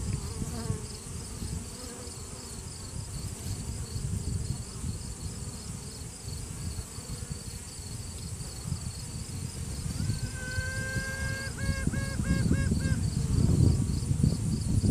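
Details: Virgin honey bee queen in a hive, sounding off to assert dominance, filmed one handed on a cell phone: low droning colony hum, then a clear long tone followed by several short evenly spaced toots, with handling rustle after.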